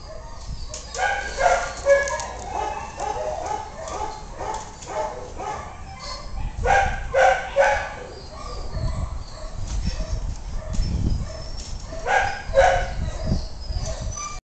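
A Basenji gives short, irregular yips and whiny, yodel-like calls, bunched in bursts. Low rumbling noise and handling sounds run underneath.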